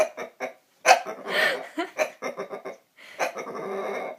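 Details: Pet bulldog's spontaneous dinosaur-like noises: short snorting grunts, then a louder rasping roar and a string of choppy throaty huffs ending in a drawn-out growl.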